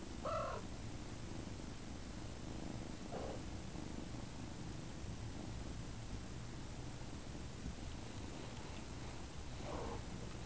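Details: Mother cat Kyra Mae feeding and bathing her kittens Prince and Tink; a continuous low purr fills the room, broken by a few faint, short kitten squeaks at the start, middle and end.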